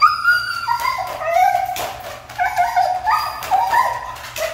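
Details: Hard-to-train Siberian Husky keeps up a continuous whiny, wavering vocal complaint, pitch bending up and down in short sweeping phrases, indoors with a faint low hum behind.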